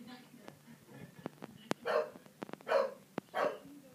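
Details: English Bulldog, three years old, barking at the TV inside a room: three hoarse barks in quick succession near the end, preceded by clicks, knocks and low background voices.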